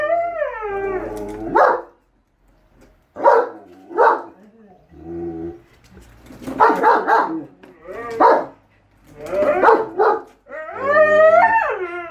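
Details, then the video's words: German Shepherd and Siberian Husky at home arguing over whether the lawn mower is evil, with alternating howls and barks: wavering harmonic howls at start and end, paired barks and mixed yelping between. "GSD & Husky Arguing Whether The Lawn Mower Is Evil Or Not"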